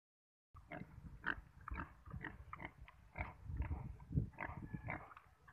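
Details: Philippine native pig in the Philippines, giving a run of short low grunts and snorts in quick irregular succession, with a few higher squeaky notes mixed in.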